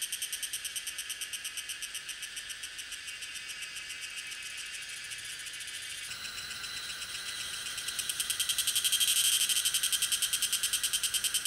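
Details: Cicada Tanna viridis, recorded in May or June at Lianhuachi or Dasyueshan, Taiwan, using a Sony A7s3 and Rode VideoMic NTG; high rhythmic buzzing pulses about twice a second, growing louder and denser toward the end.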